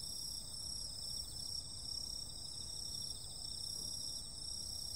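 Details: Summer-night insects in a dense chorus: several steady, very high shrill whines layered together, a fine buzzy pulsing trill just beneath them, and a soft low rumble of background noise.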